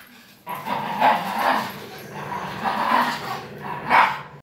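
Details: Nine-month-old German Shepherd and five-year-old Min Pin in a tug-of-war game; a series of short harsh barks and growl-like yips spaced about half a second to a second apart across the clip.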